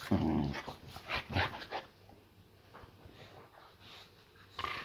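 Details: Layla, a pet Boxer, greeting her owner at home indoors with a playful mock-savage welcome; a low rumbling growl opens, then short harsh huffs and snorts, fading to quiet room noise before a final burst.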